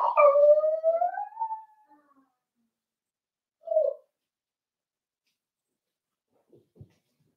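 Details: Four-week-old Cavalier King Charles Spaniel puppies in an indoor home puppy pen, meeting other dogs and trying puppy mash: one drawn-out tonal whine rising slightly over about two seconds, then a short whimper, then quiet with a faint tap.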